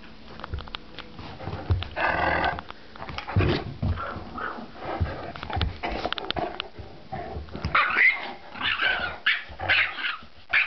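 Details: Gretel, a Yorkie, and Clyde, a Great Dane, fight over a Nylabone while a person play-fights with them; busy growling, snarls and high yelping barks in uneven bursts amid loud scuffling and knocking.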